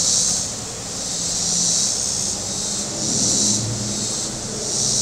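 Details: High pulsing drone of cicadas along the shore of Table Rock Lake, southern Missouri, on a warm Saturday, surging roughly every 1.6 seconds, while boat engines murmur low underneath.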